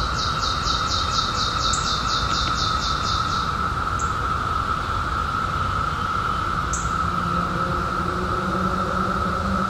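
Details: Periodical cicadas emerging in 2021 after a 17-year hiding, their continuous even drone filling the background while a rapid high bird-like trill runs for the first few seconds, followed by two brief high chirps.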